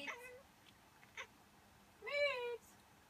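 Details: Miez the cat, a female pet, reacting as she does every time someone sneezes or pretends to: after a brief harmonic sound and a short burst, a loud, clear, arched meow lasting about half a second, indoors.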